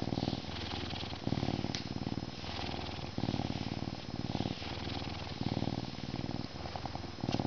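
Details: Max, a Canada lynx, purrs in a steady, deep rumble that swells and fades with each breath. Meowing is also mentioned.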